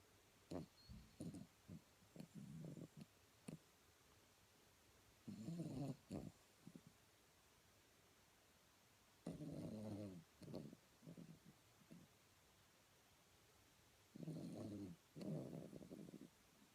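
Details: Blenheim Cavalier King Charles Spaniel snoring while asleep, with bursts of low, grating snores every few seconds, each split into two or three rough pulses, and faint ticks and quiet breathing between them.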